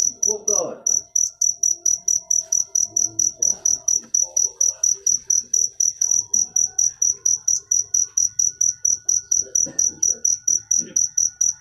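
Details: Rapid, even run of sharp high cricket chirps, roughly four per second, over a soft, indistinct low background murmur.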